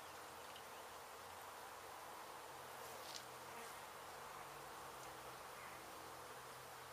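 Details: Many honey bees buzzing in a steady, unbroken hum at a hive struck by construction crews in an abandoned home in Mission, Texas, during its removal; a faint low drone runs underneath.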